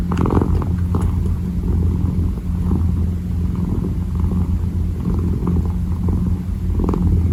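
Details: Kitten kneading and purring; a close, deep steady rumble dominates, with a few faint rustling paw strokes near the start and end.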